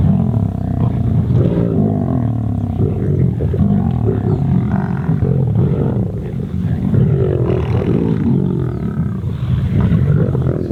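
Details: Kambula Pride lions feeding on an impala kill in open grassland, young animals at the carcass and bigger females aside; heavy low growls and rumbles run unbroken, mixed with background music.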